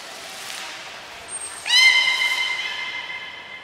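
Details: Beluga during a training session with Gray and Mirai at Port of Nagoya Public Aquarium on 15 June 2022: a brief high thin whistle note, then a sustained harmonic-rich squealing tone that holds steady pitch for about two seconds against quiet room hiss.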